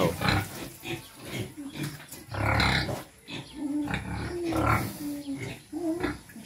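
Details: Native Quezon black pig at feeding time, giving low, rough grunts in uneven bursts, some higher squealing tones between, with a voice faintly in the background.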